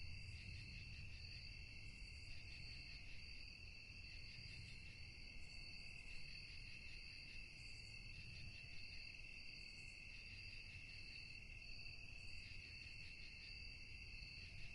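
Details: At night, crickets keep up a constant high-pitched trilling drone in several layered tones, gently pulsing throughout, with a steady low rumble underneath and faint brief hiss bursts higher up.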